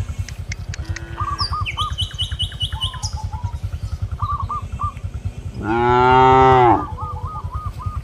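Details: A cow in a village field calling companions to return to the pen: one loud, rich moo of about a second late on, over a steady low pulsing hum and repeated short bird whistles.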